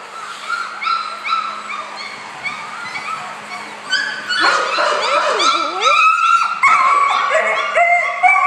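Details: Four-week-old puppies, happy little males, give soft, steady whimpers at first, then break into louder wavering whines and high yips that swoop up and down in pitch and overlap one another.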